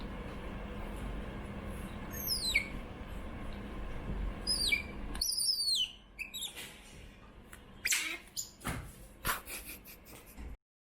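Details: Young female pet otter Choco squeaking for food indoors: thin, high chirps sliding steeply downward come in short bursts, followed by a string of sharp clicks and taps.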